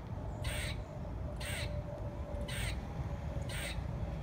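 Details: A squirrel said to be singing gives four harsh, broadband barking calls, roughly one each second, over a steady low rumble of wind or traffic noise.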